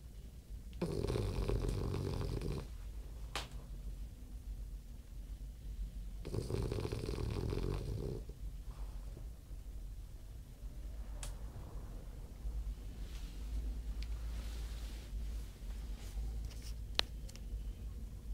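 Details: French bulldog snoring indoors: low, rough rumbling breaths in two long loud bursts about five seconds apart, between them softer, steady wheezy breathing, with faint clicks and a sharp tap near the end.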